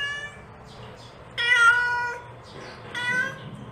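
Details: Mother cat calling for her kittens with two clear meows, the first long and wavering, the second shorter, after a quiet start with a faint earlier meow and low background hum.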